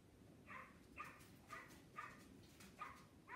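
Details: Dog. A dog barks in a quick, steady series of short, clipped yaps, roughly two each second. A soft low rumble runs underneath the barking.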